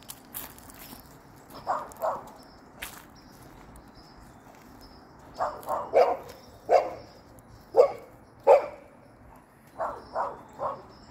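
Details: Golden Retriever, hopping, gives short, irregular barks: a few soft ones early, then a steady run of loud, clipped barks about once a second in the second half, ending in three quieter ones.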